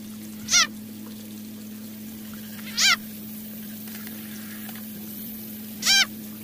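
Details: At night, a frog being eaten by a snake gives loud, harsh, nasal distress screams a few seconds apart over a steady electrical hum.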